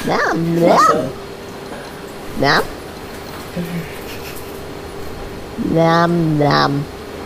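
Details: Female Himalayan cat indoors, 'talking': a rising-falling meow, a short chirped call near 2.5 seconds, a faint murmur, then a long wavering harmonic meow near the end, with a steady electrical hum throughout.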